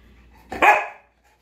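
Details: Pet Alaskan Malamute snow dog at home, one of two, letting out a single short, harsh bark that breaks off quickly, amid laughter and playful talk.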